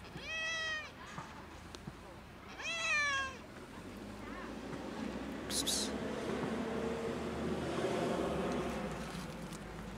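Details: Cat called sad, uttering two clear wavering meows in the first few seconds, followed by quieter rumbling background noise and a short rustle.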